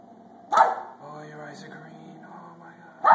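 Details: A feisty female Pembroke Welsh Corgi acting up gives two abrupt, forceful barks about two and a half seconds apart, while a woman scolds her in an excited voice between them.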